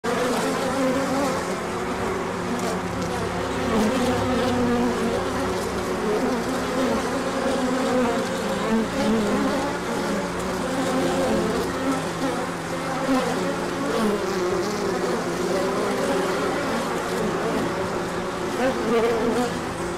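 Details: Bees on a large orientation flight on 24 March 2024, out in the sun after a colder spell, with pollen coming in afterwards: a dense, steady, loud buzzing drone from many bees, continuous throughout with little change in pitch.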